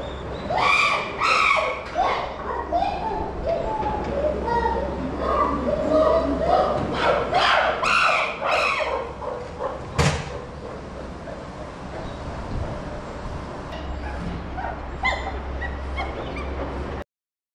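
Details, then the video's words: Chimpanzee Puteri crying out at Tennoji Zoo, Japan, December 2021, a captive great ape near Rickie's group: loud, harsh, rising shrieks with rich overtones pour out in a dense burst over the first half, then fade to scattered calls above a steady low hum. "プテリの叫びと久しぶりのリッキーたち（Puteri's cry and Rickie's group I met after a long time）"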